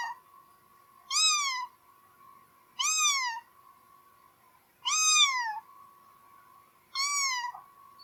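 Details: Four plaintive cat meows roughly every two seconds, each a clear arched cry falling at the end, set against a constant low electrical-sounding hum.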